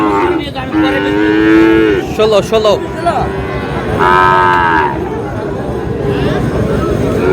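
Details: Sahiwal bull calves at the Ambari cattle market in Manikganj on 14 August, bought by a farmer. Two drawn-out, harmonic moos stand out, one early and one midway. Men's bargaining voices and market crowd noise run underneath.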